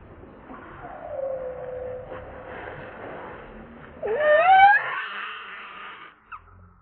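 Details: Hungry baby monkey Lucie, pulling at her mother's breast for milk in the afternoon, gives a thin drawn-out wail, then a louder rising, squealing cry with clear harmonics near the end, over faint background noise.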